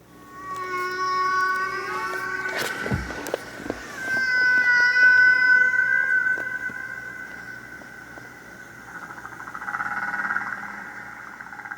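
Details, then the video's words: Humpback whale song from the classic Frank Watlington and Roger Payne recording that inspired listeners in the early 1970s; long sustained tonal wails with rich overtones, some sliding and wavering, broken by clicks and a sharp knock. "when listeners heard that groundbreaking recording of whale song made by Frank watlington and Roger Payne"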